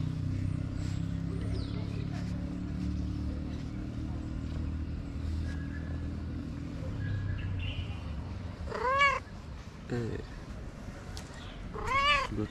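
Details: A tabby street cat gives three rising-and-falling meows near the end, spaced one to two seconds apart, after a stretch of steady low rumble and faint background noise.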